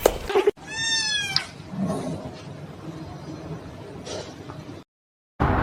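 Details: Domestic cat giving one short, clear meow with a bright harmonic tone lasting under a second, followed by a long stretch of muffled room noise, a few faint thuds and a brief final burst of sound.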